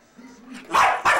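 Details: Bichon Frise dog in Worthington, Minnesota, on August 22, 1998, barking excitedly, eager to go for a walk: two loud, bright yaps after a soft low whine, in a room with a person talking.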